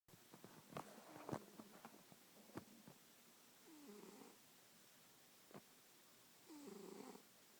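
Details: Domestic cat snoring while asleep on a person's lap indoors; soft, breathy rasping snores with a few short clicks and snorts in between, separated by quiet pauses.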